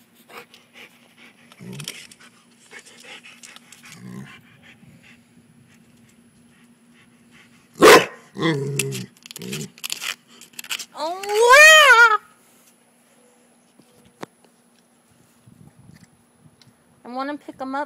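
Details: Female Rottweiler frustrated by a frog she is hunting gives sharp barks and a rising, whining yelp, with a person talking between them.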